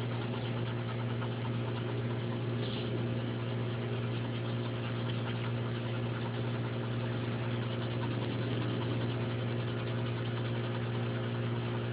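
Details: Constant droning hum with strong low tonal bands and a dense, even noise floor, and no animal call rises above it.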